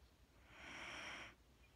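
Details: Wheaten Terrier named Mattie sleeping indoors, giving one soft, airy breath lasting about three-quarters of a second, a broad hiss-like rush with a faint steady tone above it, in a quiet room.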